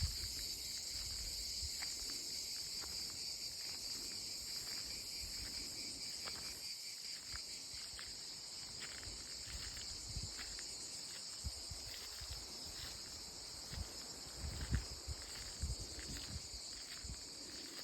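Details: Cicadas in olive trees sing at their loudest, a dense, steady, high-pitched buzz that fills the air without a break.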